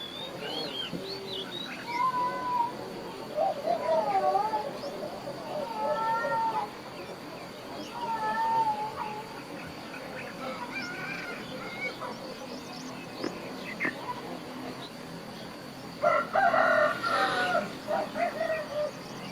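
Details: Cat meowing in a countryside setting, a series of short wavering mewing calls repeated every second or two, with rooster-like clucking and scattered bird chirps around, then a louder burst of mixed calls near the end.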